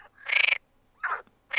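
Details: Male Perez's frogs call in a pond chorus on an April–July evening or night, giving harsh, rapidly pulsed croaks of about half a second each, with short gaps between.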